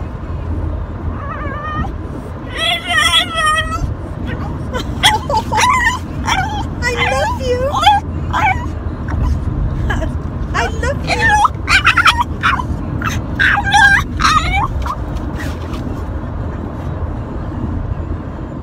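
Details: Pet French Bulldog 'talking' to its owner, said to be saying it loves them. Bursts of wavering, moaning, whine-like syllables that bend up and down in pitch. Clustered between three and fifteen seconds, over a soft low background hum.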